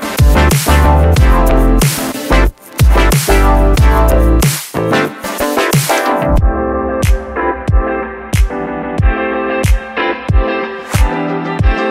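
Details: Loud electronic dubstep music with heavy bass drops and sharp beats fills the whole recording.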